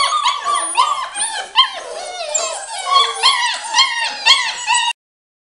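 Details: Samoyed puppies, seven weeks old, a litter of two males and three females, making many overlapping high whimpers, yips and short howling whines that rise and fall, nearly continuous and tonal with rich harmonics.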